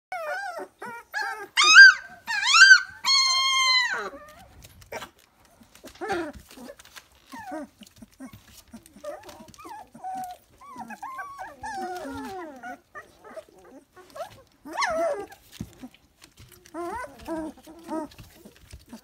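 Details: Three-week-old Dalmatian puppies: loud, high, arched squealing whines in a quick burst early on, followed by softer scattered whimpers and yelps with quiet gaps between.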